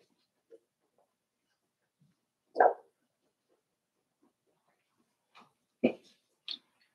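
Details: Cavalier King Charles Spaniel puppies, five weeks old, in an indoor puppy pen; a few sharp yips and short barks scattered over quiet stretches, with faint whimpers between.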